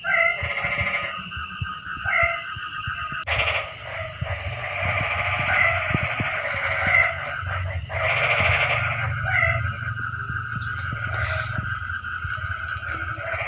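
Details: Several frogs call together on a rainy night, livening the quiet darkness. Dense overlapping rasping, pulsed croaks run almost without pause, with a high insect whine and faint low rumble.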